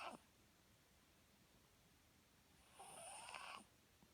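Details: A sleeping Papillon gives one drawn-out, raspy snore breath of nearly a second after a long quiet pause, with a soft hiss riding on top.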